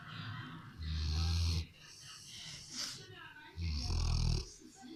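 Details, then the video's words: A Rottweiler settled on the sofa snores; two heavy, low, rasping inhalations come nearly three seconds apart, separated by softer breathing and faint background murmur. "Rottweiler qui ronfle"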